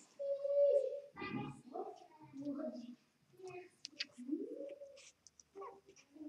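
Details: Two-day-old Vizsla x Labrador puppies, Vizsla mother and Labrador father, indoors: a sustained high whine followed by short whimpers and a later rising squeal, with soft breathy sounds between.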